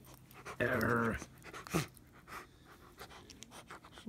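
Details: A Rottweiler roughhousing playfully, biting a person's arm, gives a brief, voiced, rumbling play growl, then falls quiet apart from faint breathing.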